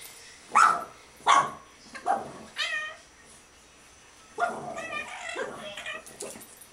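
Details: Two Boston Terriers playing at a "monster under the bed" give sharp, high yips, then a run of whiny, grumbling play noises.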